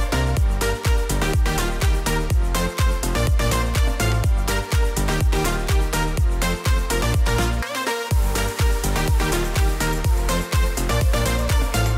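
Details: Steady electronic dance music with a pounding bass beat plays throughout, with one short drop near the middle.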